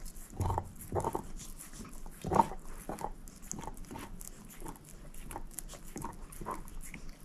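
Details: Moose, a female shepherd mix dog, gnawing on a bone indoors, with irregular clicking and scraping bites, a few louder crunches near the start, and soft low thuds between them.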